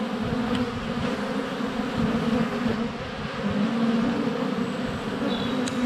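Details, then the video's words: Honey bees flying around the hive entrance on a sunny February day, filmed up close with a GoPro Hero 7 Black: a dense, steady low buzzing hum with shifting wingbeat tones, a faint high bird note near the end. "Honey Bees - ambient video and audio"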